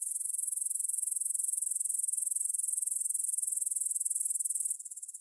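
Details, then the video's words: Grasshoppers stridulating at 9pm on 6 September 2020 in a meadow near the Svensky monastery in Bryansk, Russia, recorded on a Tascam DR-44WL in stereo: a dense, high, rapidly pulsed chirring that runs steadily, then drops abruptly in loudness near the end. "кузнечики на лугу – Grasshopper Sounds in the Field"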